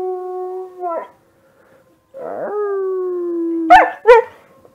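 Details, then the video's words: Husky-mix dog Kiba howling at online wolf sounds in a dark room, smartphone recording. A howl trails off, silence follows, then one sustained level howl slowly sinks in pitch and ends in two sharp yelping bursts. "Howling Puppy!"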